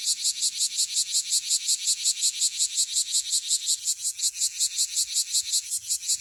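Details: Close-up bear cicada (Cryptotympana facialis) from Okinawa in full song: strongly regular, rapid shrill pulses, almost three per second, forming a metallic buzzing rattle with little else audible.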